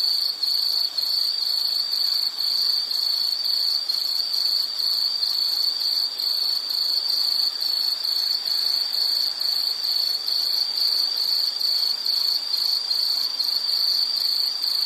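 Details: Calling insects produce a sustained, sharp, high trill broken into rapid even pulses, steady in loudness for the whole stretch, with faint higher overtones and soft background noise.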